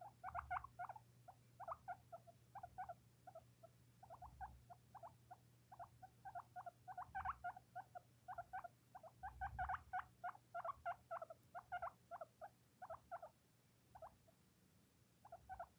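A young skinny pig gives rapid runs of short, high squeaking wheeks over a faint low hum.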